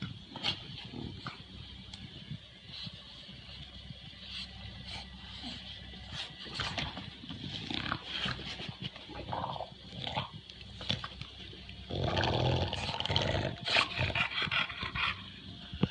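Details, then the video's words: Two English Bulldogs, WanWan aged one year 193 days and Fe aged one year 109 days, recorded on 1 January 2016; rough snorting and grunting bursts come close together, with a louder, denser stretch of huffing near the end. "英國鬥牛犬 English Bulldog"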